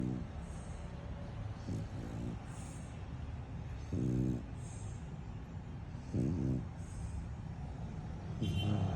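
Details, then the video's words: Lambo, a French Bulldog worn out from play, sleeps and snores: short raspy buzzing snorts at uneven gaps, a few louder ones standing out over a steady low rumbling hum. "CUTE FRENCHIE DOGGY SNORING"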